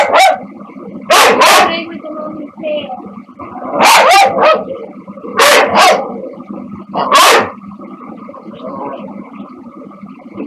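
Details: Two dogs over ten years old, a corgi-lab mix and a shih tzu-poodle mix, at play with a person: loud sharp barks in paired bursts roughly every one and a half seconds, over a steady background hum.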